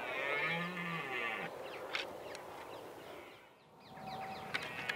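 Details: Red deer during the rut at sunrise in Richmond Park on 5 October 2014: one deep, drawn-out harmonic roar lasting about a second and a half, then scattered short bird chirps and a faint steady tone.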